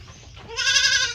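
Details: Raised goat from a healthy farm herd lets out one rising, nasal bleat that swells and holds for about half a second after a quiet start.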